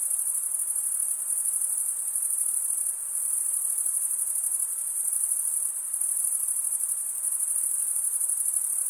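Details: Crickets stridulating, the males rubbing one wing's toothed vein against the other, form a dense, unbroken high-pitched shimmer with a faint pulsing texture, steady throughout with no other sounds.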